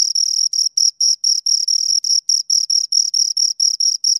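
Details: Two crickets heard close, rubbing out rapid high chirps, each short pulse a shrill buzzy note with a faint higher overtone, spaced about a quarter second apart in a steady beat, background silent.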